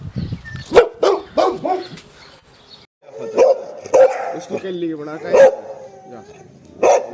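A Boxer gives a string of odd, strained barks and yowling, talk-like vocalizations.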